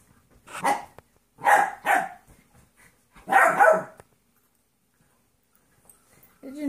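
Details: Playing dogs, a 14-week-old golden retriever mix puppy and a 2.5-year-old jack russell/rat terrier mix, indoors: three rough, noisy barks about a second apart, then quiet, a low tone entering at the end.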